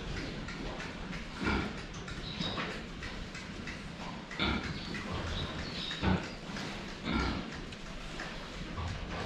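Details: Several brief, low pig grunts stand out irregularly against steady rustling and splashing noise while the animals drink water, seen head-on.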